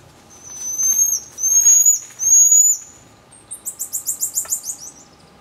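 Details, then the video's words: Marmoset calls: three long, thin, very high whistles with slight upward bends, each about half a second, followed by a rapid series of about eight short high chirps; faint steady hum in the background. "marmoset vocalizations"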